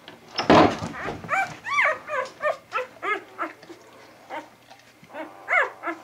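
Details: Vizsla puppies from a litter recorded on 10 January 2013 giving a run of high yips and short barks, about one each half second at first, then sparser, with a loud opening squeal indoors.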